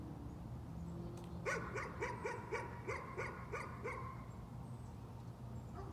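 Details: Nuisance barking from a dog: a quick run of about nine sharp, evenly spaced barks over two and a half seconds, set against a steady low background hum.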